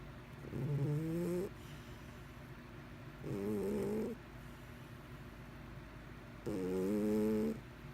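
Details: Sleeping pet cat Mr Whiskers snores steadily: three nasal, harmonic snores about three seconds apart, each roughly a second long with a slightly rising tone, quiet room between.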